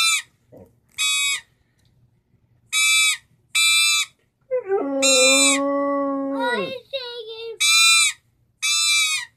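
A pit bull lets out a long, steady howl that sags at the end, between short, bright toy-trumpet toots.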